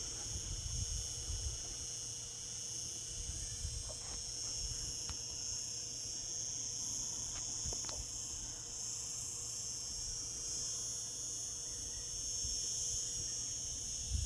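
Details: Cicadas in summer giving a steady, piercing buzz at high pitch, layered in bands and unbroken for the whole stretch, with occasional faint ticks and low background murmur.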